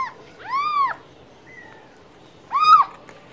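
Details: Cat giving two drawn-out meows separated by a pause, each call bending up then down in pitch, with a faint short whistle-like tone between them.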